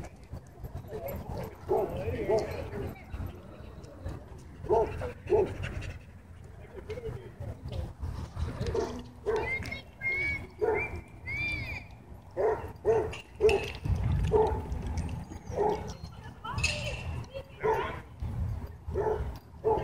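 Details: Dogs at a dog park during play interrupted by a dogfight; scattered short barks and yips repeat irregularly among panting and human voices, with a brief high whine midway.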